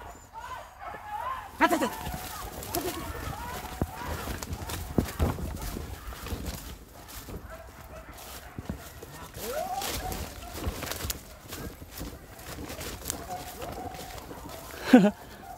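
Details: Village dogs hunting wild boar bark and yelp excitedly in bursts as they chase many scattering pigs, with people talking nearby.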